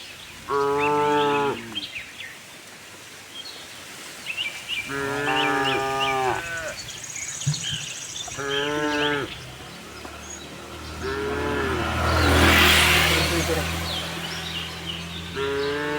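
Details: Herd of tame cows roaming a cattle farm for fresh grass, giving a series of repeated moos of about a second each, spaced several seconds apart, with low rumbling noise and a burst of hiss near the end.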